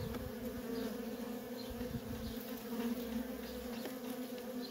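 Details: Feral colony of honey bees, workers coming and going in constant traffic, producing a thick unbroken droning buzz at a steady loudness for the whole stretch.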